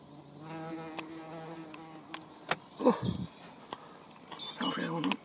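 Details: Saxon wasp (Dolichovespula saxonica), an aerial nester, working on its nest on day one, 16 April 2015: a steady low droning wingbeat buzz with stacked overtones for about two seconds, then scattered clicks, a brief rustle and high thin bird chirps.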